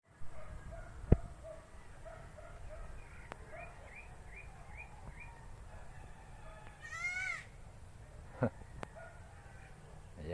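A young goat gives a run of short, nasal bleating notes, then one longer, wavering bleat.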